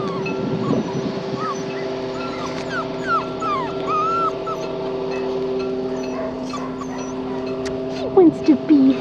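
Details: Red tri male Australian Shepherd puppy, offspring of Gina and Myles, from an Oklahoma-licensed breeder: thin, high squeaky whimpers curving up and down in short bursts, over steady background music, with a woman's cooing voice near the end.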